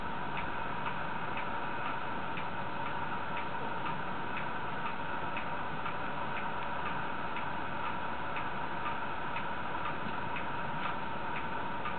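Steady ticking clicks over a constant low hum, with no animal voice.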